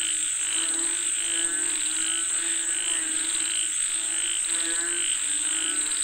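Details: Frog chorus calling for rain: overlapping pulsed croaks and a bright trill repeating roughly every second, with a steady high-pitched whine running throughout.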